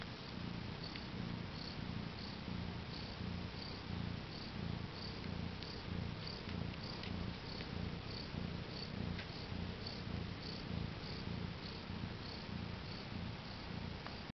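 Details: Continuous deep purring from a new mother cat with her four kittens, born on April 22nd, 2010 at about 10am CET. The rhythmic low throb runs unbroken throughout, with light intermittent ticks and rustles over the top.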